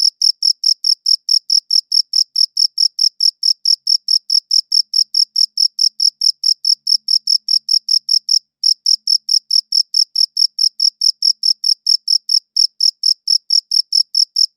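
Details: Long run of cricket chirping, high pulsed notes at about four to five per second, briefly pausing twice before resuming the same steady beat, recorded cleanly with no background noise.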